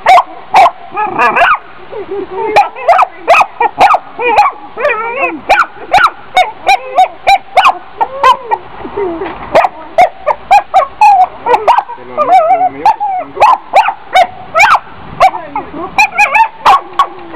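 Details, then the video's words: Dog barking and yipping almost nonstop for over fifteen seconds, dense clusters of sharp barks and wavering whiny notes, with faint voices possibly mixed in underneath. "Funny Dog Barking"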